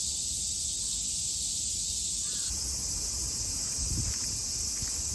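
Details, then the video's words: Japanese summer cicada chorus, 2022: a continuous shrill electric buzz that thickens and grows slightly brighter halfway through, joined by a faint low rustle near the end. "Sounds of the cicada [ Japan in summer ] セミの声"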